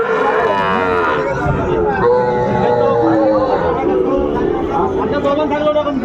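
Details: Sahiwal bull calves at a cattle market in Chattogram, Bangladesh, filmed on 11 January 2025, mooing with long, droning, low calls amid loud crowd chatter and market noise, followed by people bargaining over prices.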